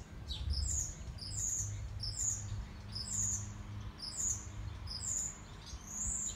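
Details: Squirrel giving sharp, high-pitched chirps, each a short downward-sweeping note repeated roughly once per second, seven in a row, over a low steady rumble of background noise.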